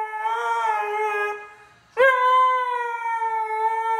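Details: A Siberian husky howls along to rap music, with long, steady, mid-pitched howls, the second starting abruptly with a brief upward swoop.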